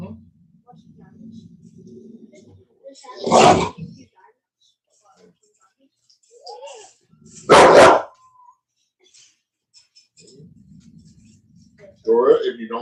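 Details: Cane Corso (Italian Mastiff) from a breeder's pack west of Nashville, Tennessee, giving two loud, booming single barks about four seconds apart, with low grumbling murmurs between them and a rising whine at the end.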